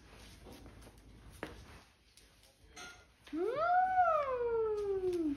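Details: Basset Hound playing indoors with a big Mr. Peeps Easter toy gives a long, drawn-out howl that rises briefly and then slides steadily downward for about two seconds, after a few quiet knocks and shuffling sounds.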